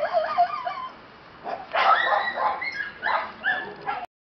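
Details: Female black Shiba Inu puppy yipping and whining: a short run of high yelps, a brief lull, then a louder cluster of squealing barks with bent, wavering tones, ending abruptly. No other clear sounds.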